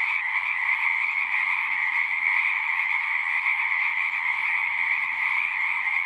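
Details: Singing frogs in a thick continuous chorus, countless overlapping high croaks merging into a steady shimmering drone at two pitches, with no gaps and no other clear sounds.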